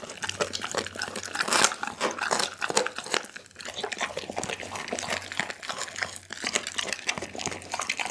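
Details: Pit bull named Daggy chewing through a whole chicken, filmed on an Insta360 ONE R: dense, steady crunching and crackling with brief pauses, one sharp louder crunch early on, and gnawing that continues almost without a break.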